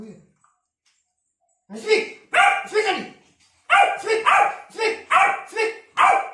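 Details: Hungry Labrador puppy barks for food: after a brief pause, a burst of loud, rough barks in pairs and short runs, about ten in all, coming faster toward the end.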